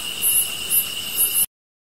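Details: Grass insects calling: a steady, thin, high-pitched drone under sharp shrill chirp bursts about twice a second, cutting off abruptly after a second and a half.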